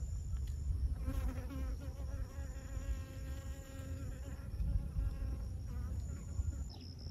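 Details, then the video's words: Honey bee pollinating flowers in Siosar, Karo, North Sumatra, Indonesia: a close, wavering buzz that shifts slightly in pitch as it flies, heard over constant low rumble and a thin high background whine. "Mengintip proses lebah madu melakukan penyerbukan pada bunga"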